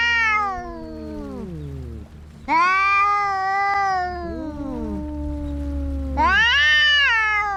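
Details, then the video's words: Cats quarrelling exchange harsh, descending wails and overlapping howls, one voice falling away as another surges, three loud bursts in under eight seconds, over a persistent low hum. "Som de gatos brigando"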